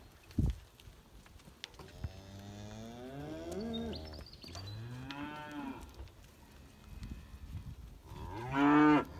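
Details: Hereford heifers lowing: several long, deep moos with wavering harmonic bands, one rising and falling through the middle, ending with a louder, harsher bellow; faint background noises between calls.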